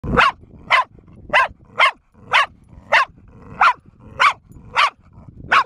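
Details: Bear, a four-year-old female pet dog that barks almost nonstop and foams at the mouth, gives sharp, loud barks about every half second, ten in a row, with faint low background rumble.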